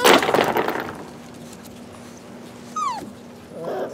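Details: Rescue puppies, possibly a shar pei, hound or lab mix: a loud rustling burst at the start, then a short falling whimper near three seconds and a softer whine at the end over a steady low hum.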